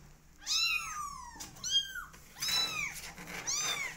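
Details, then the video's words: Twenty-day-old kittens of a cat family indoors give high arched meows with rich harmonics, four calls in about four seconds, some overlapping as several kittens cry together. "Meow Cat Family Is 20 Days Old Now Cutest And Loudest Cat Family"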